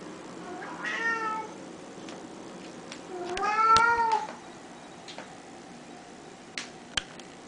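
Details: Domestic cat indoors, described as saying only one word, gives two clear meows: a short rising-falling one near the start and a longer, louder drawn-out meow a couple of seconds later, with faint clicks and knocks after.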